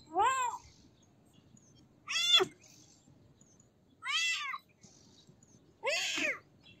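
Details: Four clear kitten mews evenly spaced about two seconds apart, each a short downward-arching cry rich in harmonics, the second slightly louder and sharper, over a low quiet background.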